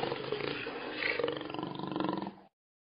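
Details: Jaguar, a black panther, gives a rough, throaty roar that rises in strength, then fades into a pulsing, sawing growl with rapid beats before stopping abruptly.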